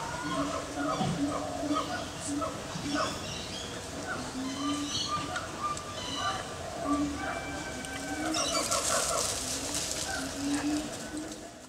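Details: Four baby meerkats playing one morning at Adelaide Zoo give a busy stream of short, high chirps and squeaks over a low murmur; Meerkat.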